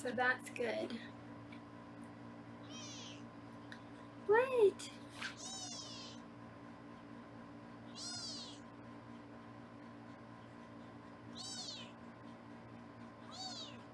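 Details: Foster kittens on a live 24/7 kitten cam in Los Angeles, recorded while being weighed indoors: high, thin meows with arched rising-falling pitch, repeated every few seconds, a brief woman's voice near the start and a steady low room hum underneath.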